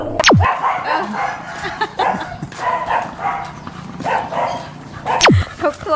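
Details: Neighbourhood dogs of several breeds bark from their houses in loud, repeated bursts at a new dog walking down their street, with a woman's voice and sweeping whistle-like tones in between.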